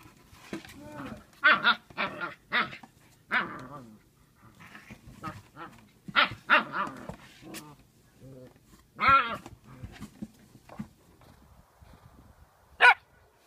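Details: Female pet Siberian Husky Sequoia, in her first year, barks and vocalizes in a long run of harmonic, wavering yelps and howl-like bursts, some grumbly and drawn out, with short pauses between groups.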